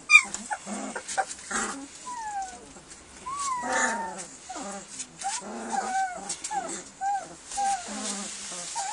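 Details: Litter of hungry German Shepherd puppies waiting to be fed, keeping up a quieter chorus of thin, wavering whimpers and short rising-falling whines over about nine seconds, with a low background hiss.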